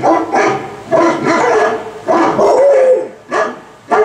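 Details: A pet dog howls along to a Volkswagen commercial playing nearby, with short wavering tonal howls broken by pauses, plus background commercial audio.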